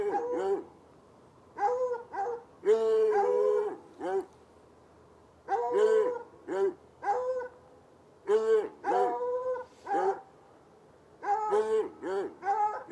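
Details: Two chained hounds, one white and one dark, bark outside on a Saturday night in a bushy lot by a red outbuilding and an irrigation ditch, about 10 yards away; loud, harmonic, baying barks come in bursts of two to four, with short pauses between.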